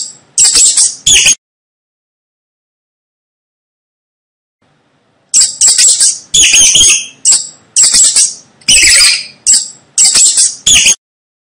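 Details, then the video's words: Squeaks of a rat: two brief piercing bursts open the sequence. A long silence follows, then a string of high, trilling squeaks in clustered bursts about every half second. The background is clean. "Tiếng chuột kêu"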